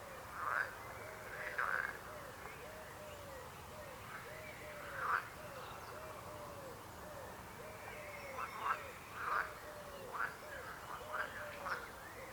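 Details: Chorus of frogs: sharp rasping croaks rise above a steady run of softer, lower rippling notes repeated many times, forming a dense, continuous calling background.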